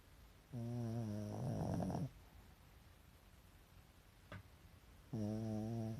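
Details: Pet Pekingese dozing, whites of its eyes visible, snores loudly: a steady low harmonic drone that turns rattly and rasping before stopping, then a quiet gap and another even, humming snore starting about five seconds later.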